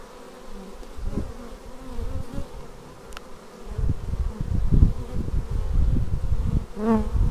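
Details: Bees landing at the hive entrance, raw footage from a Xiaomi Yi action camera. A soft drone opens before a louder, rough low rumble builds from about four seconds, with a close rising buzz of a passing bee near the end.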